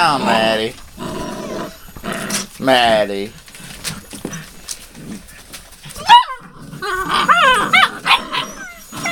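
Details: Puppies with Rosebud, dated 02/08/12: quick, high, rising yelps and wavering whines come in bursts near the middle and end, between stretches of human voices.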